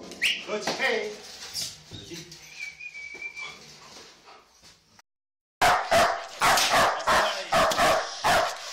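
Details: Tayson, a black German Shepherd in protection training: people talk over scattered noise at first, then after a short silence come forceful, punchy barks in a steady run, roughly one to two each second.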